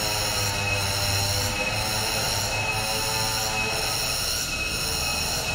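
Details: A cicada's loud, continuous, shrill buzzing rings steadily like a high metallic whine, in a protected forest park home to long-tailed macaques.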